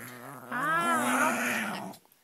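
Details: Female Shih Tzu indoors growling in protest at being held on her back, which she hates; she also blows snot. A drawn-out tonal grumble of about one and a half seconds rises then falls, with a person talking softly before and after.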